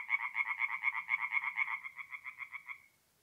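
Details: Tree frogs at a north-east Italian forest pond on an April night give a fast run of nasal pulses, about four per second, that weakens and stops after nearly three seconds, then quiet.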